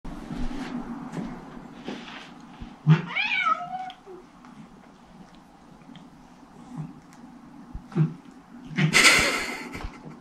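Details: Bengal kittens Shiro, a silver male, and Simmi, a brown female, play with adult cats Tom and Mimi indoors; one clear meow rises and falls in pitch near the third second, later a short hissing burst, with scuffles and thumps of play.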